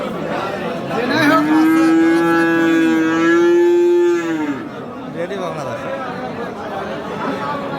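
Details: Friesian heifer calf at Aftabganj cattle market, Dinajpur, Bangladesh, on 26 October: one loud, steady, drawn-out moo lasting about three seconds, level in pitch with rich harmonics, then falling away, amid market chatter and men talking.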